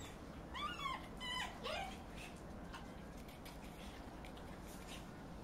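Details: A male Bull Terrier gives three quick, high, sliding whimpering yelps, then falls quiet.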